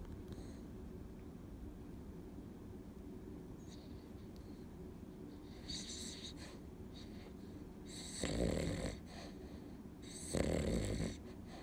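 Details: An, a Cavalier King Charles Spaniel in deep weekday sleep, breathes in a steady low rasp, with two louder snoring bursts near the end; indoors, otherwise quiet.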